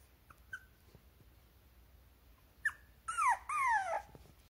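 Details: Teacup-size Teacup Poodle puppy whimpering: a few faint high squeaks, then two louder, drawn-out whines sliding downward in the final second and a half, in an otherwise quiet room.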